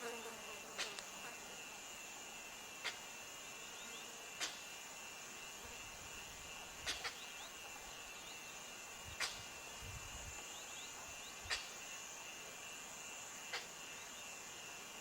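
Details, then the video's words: Goral, a mountain goat, giving alarm sneezes: short sharp broadband bursts repeated every two seconds or so, some doubled, over a steady high insect-like hiss and faint low rumbles. "Alarm sneeze from ghoral..mountain goat"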